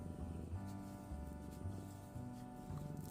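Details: A Ragdoll cat, as its moulting season begins, purrs contentedly while being brushed, a low rumble under soft background music.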